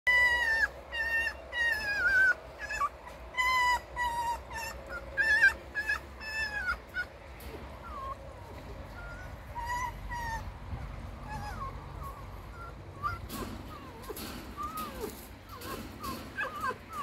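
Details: Captive red fox kept at home, said to be in a bad mood, gives a rapid series of high, tonal whines and yips that bend up and down, roughly every second, with music and household noise underneath.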